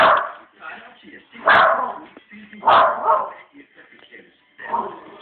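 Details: Family dog worked up by dogs shown on a TV programme, giving loud, rough barks: two strong ones roughly 1.4 seconds apart plus softer barks at the start and end, over Danish speech from the television.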